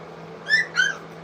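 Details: Three-week-old English Cocker Spaniel puppies at a kennel, eating food for the first time: two short, high whimpering squeaks with bright overtones, the second longer and sliding downward, over a steady low electrical hum.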